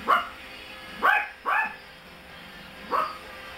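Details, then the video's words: Playful Chihuahua x Brussels Griffon designer pups yipping: four brief squeaky barks that drop in pitch, irregularly spaced about a second apart, the middle pair coming quickly one after the other, with faint steady background hum. "Tiny Chihuahua x Brussels Griffon designer pups playing"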